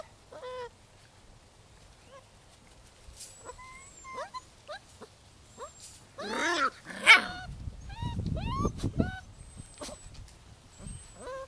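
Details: Holly's six-week-old rescue pups, six boys and four girls, make short sliding whimpers and a burst of yelps, with low rumbling handling noise in the middle and faint high whines at the end.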